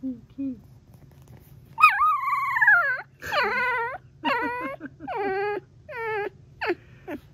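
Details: A 3-week-old female Golden Retriever puppy gives high, wavering whines and squeaky trills in short bursts, the trills heard alongside her first bark.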